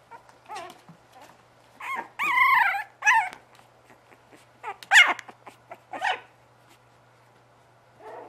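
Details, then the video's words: Bugg puppies giving a run of high, whining whimpers and short yelps, some drawn out and wavering, others clipped, separated by brief quiet gaps. "bugg puppies"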